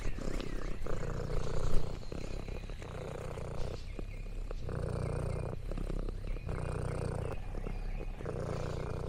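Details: Contented purring from Lexi the orange tabby cat on a farm outing: a deep, buzzing purr swelling and fading in regular breaths about a second long, with light crinkling and rustling sounds.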